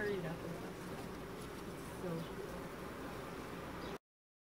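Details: Bees disturbed during a cutout bee removal at Panama City Beach; a dense, steady humming buzz fills the whole recording, with faint voices in the background.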